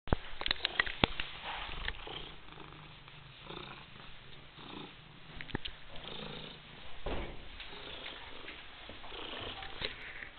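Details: White European Shorthair cat purring: a low, steady rumble runs through the whole stretch, broken by sharp clicks and rustling handling noises near the start and again around the middle.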